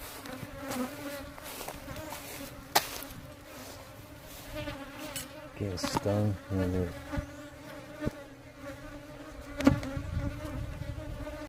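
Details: Aggressive worker honey bees droning at a beehive while being worked, a sustained low hum that swells louder mid-way, with scattered clicks and knocks from handling.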